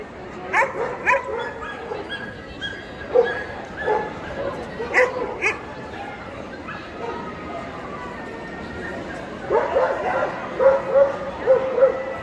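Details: Adult male Pharaoh Hound in the champion class at the 2022 European Dog Show; short, sharp barks and yips in irregular bursts, a cluster near the start, another mid-clip and a run of higher yelps at the end, over crowd murmur and voices.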